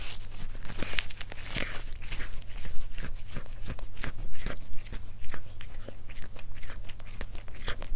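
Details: Indoors, a cat chews its food close to the microphone in an ASMR mukbang, giving sharp crisp crunches and tearing clicks, irregular but nearly continuous, over a constant low room hum.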